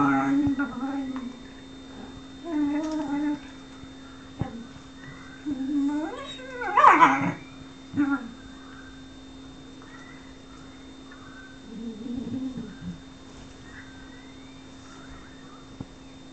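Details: Whippet Lux whimpering for the affection of Sophia, who plays hard to get, indoors; a series of high, wavering nasal whines and short yelps in bursts, loudest near the middle, with a steady electrical hum underneath.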